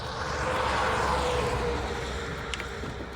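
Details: Steady broadband rumble like a passing vehicle or engine, with no animal sound. A low hum sits under the noise throughout.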